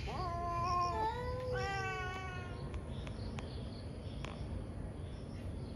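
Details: Morning fight between two angry cats: two short rising-then-falling yowls in the first two seconds, followed by faint background chirps and occasional clicks.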